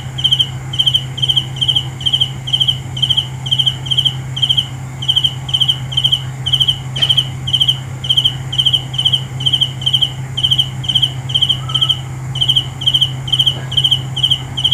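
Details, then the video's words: Cricket calling at night with evenly repeated pulsed chirps about twice a second, one brief click near the middle, over a continuous low hum and a thin high insect background. "The best sounds of Cricket 《 Suab Kab Ciliv Quaj Zoo Heev》 ( ສຽງແມງຈີ່ນາຍຮ້ອງດີໆ )"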